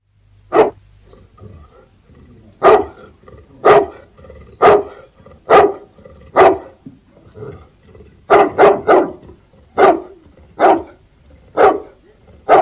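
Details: Mastiff dogs barking: loud, deep, punchy single barks at irregular intervals, about a dozen in thirteen seconds, some in quick pairs or triplets near the end, with quiet gaps between.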